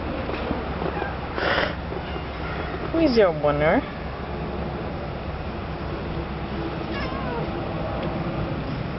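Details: Lost cat crying in a yard gives one clear, drawn-out meow that swoops up then falls away, set against steady low background rumble and a few faint shorter sounds.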